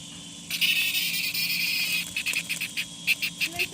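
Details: Cicada, a Chinese food insect known as the rain noise bug for its huge sound. A dense high buzz runs for about one and a half seconds, then breaks into a series of short, evenly spaced pulses.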